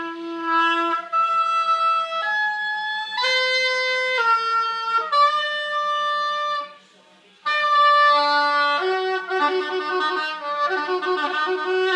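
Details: Oboe practice fills the room, a string of held notes stepping up and down with a short pause near the middle; no animal voice stands out.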